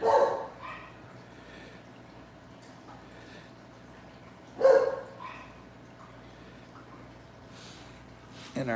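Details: Puppies barking late on a Monday night while aquarium tanks are being tended: two short, sharp barks about four and a half seconds apart, with a man talking and a steady low hum behind.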